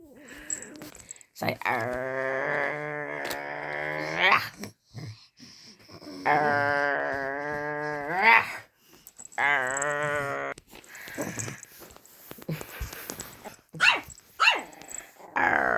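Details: Luna, a dog, meeting Daisy, another dog, for the first time, gives drawn-out, droning growls in three long bouts, with human talking and scattered clatter between them.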